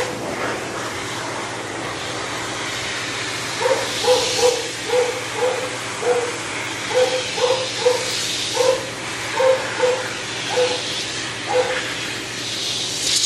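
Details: Shih Tzu being de-matted and dried, a dog that bites from pain: a long series of short, evenly spaced whimpering yelps, roughly two per second in bursts, under loud rushing dryer air.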